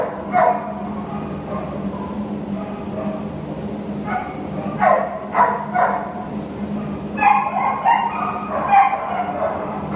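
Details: American Pit Bull Terrier awaiting adoption, with scattered yelping barks and whimpers, grouped in short clusters amid a constant low background hum.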